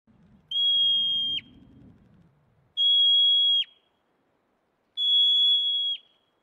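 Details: Marmot whistling: three loud, piercing, steady high whistles, each about a second long and ending in a brief downward slur, spaced roughly two seconds apart, with faint low rustling early on.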